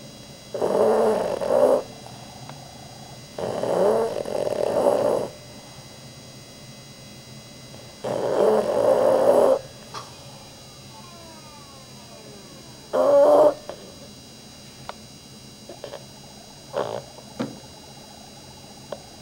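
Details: Rudy, a pet dog asleep and twitching hard, snores loudly: rasping, breathy bursts about a second long, repeated every few seconds, then shorter irregular snorts and sniffs toward the end.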